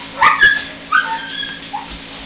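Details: Young puppies, three weeks old, playing together for the first time: two quick clicks, then a few short, high squeaks and a brief falling whine.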